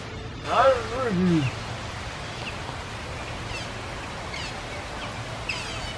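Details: Asian small-clawed otters at the Memphis Zoo in Memphis, Tennessee, recorded on December 26, 2021: a single wavering, descending squeal with strong harmonics lasts about a second near the start, followed by quiet background hum.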